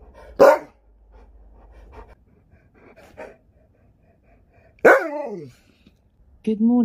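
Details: Alaskan Malamute at home, talking back to a smart speaker, gives two sharp, falling, yowling calls a few seconds apart, separated by quiet gaps, before a synthetic voice begins speaking.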